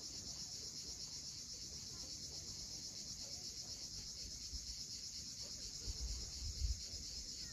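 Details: Steady, shimmering high-pitched drone of cicadas at sunset above the sea at Cape Fiolent, Crimea, with low rumbling swells of waves rising near the end.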